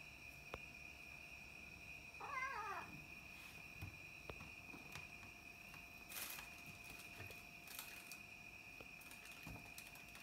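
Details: Two young pet cats, black and white, filmed at night; one short wavering meow early on, followed by scattered clicks, taps and rustling against a constant high-pitched hum.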